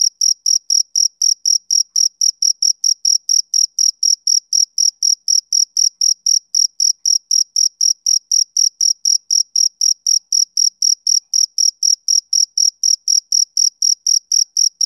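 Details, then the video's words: Summer-evening chirping of a male cricket, a sharp high-pitched pulse repeated roughly four times per second, around sixty evenly spaced chirps against a silent background. "Cricket Chirping Sound Effect"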